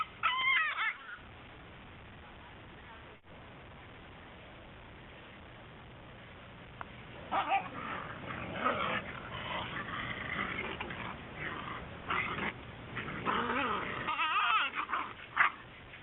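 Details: Whippet puppies indoors give scattered whimpers and short yips, with a quiet stretch near the start followed by a burst of busy, overlapping puppy noises and some rustling.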